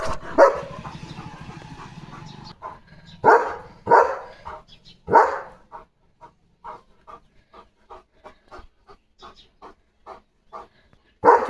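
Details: Leo, a German Shepherd kept as a pet, barking on guard on parcel day: a few heavy woofs up front, then a long run of soft, short, evenly spaced sounds.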